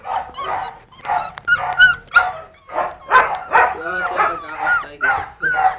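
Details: Puppies yapping rapidly, nearly three short high yips a second with whiny, wavering notes mixed in, overlapping one another.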